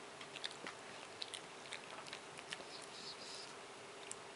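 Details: Moshi, a male Japanese Chin almost seven years old, gnaws and licks a bone right after a bath, ignoring everything else; soft crunching clicks and wet licking sounds, irregular and close, in a small indoor room.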